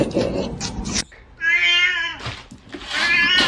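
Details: Domestic cat giving a single short meow under a second long, clear and harmonic, set between bursts of loud rustling noise.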